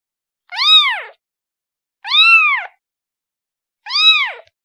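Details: Kitten calling for its mother: three high, arched meows, each rising then falling with bright harmonics, spaced about one and a half seconds apart in a quiet room.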